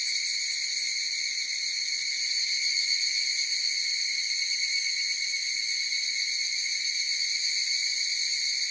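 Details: Massed higurashi cicada song forms a continuous, even, high-pitched tonal wash, steady in loudness throughout, with nothing else audible beneath it.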